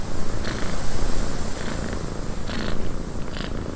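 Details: Cat in a cabin on a windy day, purring continuously: deep, throbbing low rumble that swells and eases in quick regular pulses, with short airy wind gusts rising over it now and then.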